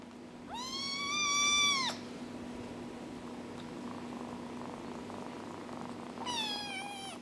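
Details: Kittens at four weeks old: one long, steady, high-pitched mew lasting over a second, a quiet stretch with faint household hum, then a second drawn-out, slightly falling mew at the close.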